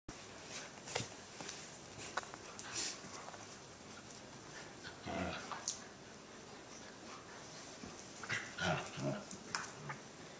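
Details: Two Silken Windhounds playing together; short rough growls and grunts burst out around the middle and again in a quick cluster near the end, with scuffling thumps and faint room noise between.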